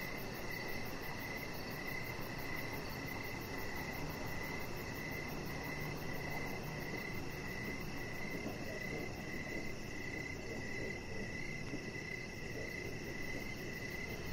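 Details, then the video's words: Crickets calling in the evening as a chihuahua puppy named Rocket lies on a deck with decoration lights. Quick, regular chirps run without pause over a soft high trill and a dense low background rumble. "3 Hours Of Chihuahua Puppy Laying On Deck with Cricket Sounds"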